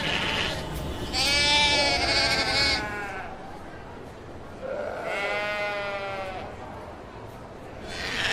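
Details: Sheep (Ovis aries) giving loud, tremulous bleats, one long wavering call near the start, another after a quiet stretch, and a third beginning at the end, with soft background noise between them.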